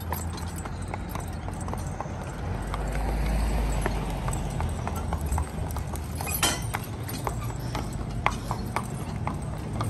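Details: Pair of heavy-built spotted draft/Haflinger cross horses driven together: rapid clopping hooves, about four strikes a second, with one louder knock, over a soft low rumble.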